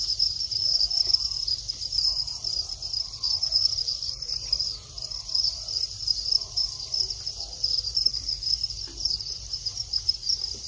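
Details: Shrill, unbroken trill of a calling male Thai house cricket entering its mating period after growing long wings. The high chirring holds steady from start to end, with a little soft low-pitched room noise underneath.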